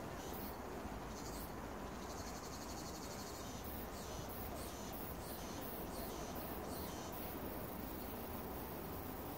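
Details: Summer cicada singing at Sosa Grand Park in Bucheon, Korea: a dense, high, hissing buzz that pulses in rapid bursts throughout, over a steady rushing background.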